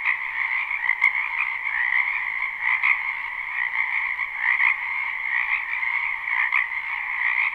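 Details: In a spring wetland, a crowd of frogs croaks together, recorded live: a constant trilling din with faint clicks and brief louder notes scattered through it.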